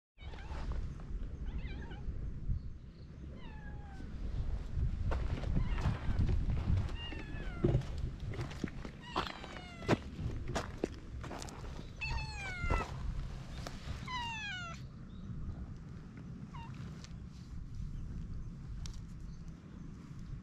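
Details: Stray cat, at first timid, grows affectionate once its head is stroked, recorded on a GoPro HERO8 with Media Mod: a run of drawn-out meows sliding downward in pitch, clustered in the middle, over steady low rumble and handling noise.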